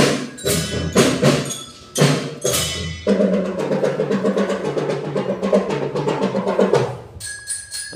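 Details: Percussive music with sharp drum and wood-block hits, then a rolling drum pattern over a sustained tone, ending in bright bell-like notes.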